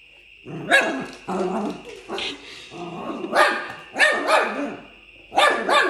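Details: Fox Terrier puppy play-fighting with another dog: bursts of harsh growling and yappy barks in clusters, loud pulses near the start, middle and end, with a steady high whine running beneath.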